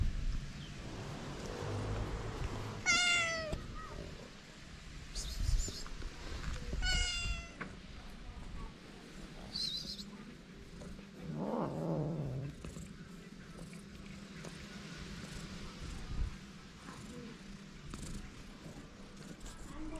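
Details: Hungry feral cats, a calico and a ginger, calling outdoors in the cold: two clear rising-falling meows near three and seven seconds, with scattered rustling, faint thuds and low background rumble.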